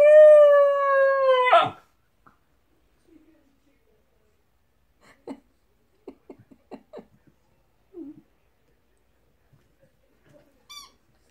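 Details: Chesapeake Bay Retriever puppy aged 13 weeks: one steady, slightly falling howl lasting under two seconds, followed by near silence with faint soft clicks and small whimpers.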